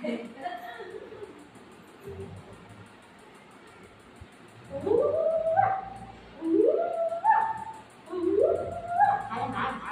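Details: Pet golden retriever Buzo, denied ice cream after its owner ate it, lets out three sharply rising whines about every one and a half seconds, with a woman's speech and background music.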